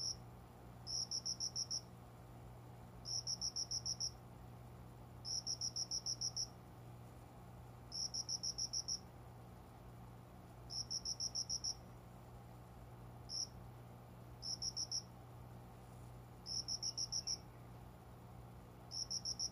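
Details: Summer dawn cricket song from greenery by a bedroom window, the insect unseen; steady series of high, tinkling pulse bursts, each of five to seven quick notes, repeating roughly every two seconds above a faint low hum.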